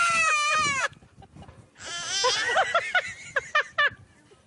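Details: Goats making funny noises: a loud, wavering, nasal bleat just under a second long, then a rougher, strained bleat followed by several short choppy bleating pulses.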